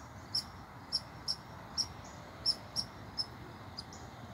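Short, piercing barks from an American red squirrel come in a loose series, roughly two each second with uneven gaps. The agitated calls scold an intruder over a soft background hiss.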